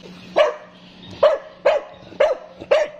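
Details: A stud Siberian Husky barks five times in under three seconds, sharp short barks with a brief rising whine-like onset, the gaps uneven between them, over a quiet steady background hum.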